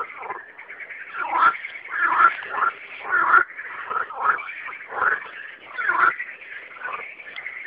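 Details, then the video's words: Frogs singing at night form a dense, mid-pitched chorus of rattling croaks. It swells and fades roughly once per second, with overlapping voices throughout. "Singing frogs"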